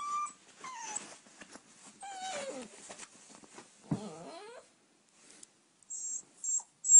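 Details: Oscar, an 8-week-old puppy asking to sleep in the bed, makes falling whines and a wavering moaning whimper, followed by a pause and several very high thin squeaks.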